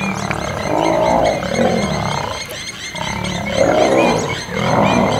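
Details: Wild lions fighting in Kruger National Park: an old male battling young males that refuse to give up their territory. Harsh, rasping snarls and growls come in long bursts, with a brief lull near the middle before they swell again.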